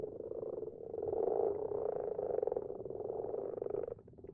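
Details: Common frogs in a garden pond, recorded at night, give a dense, low purring croak, pulsed rapidly and steady around a single pitch; the chorus swells near the middle and fades briefly toward the end.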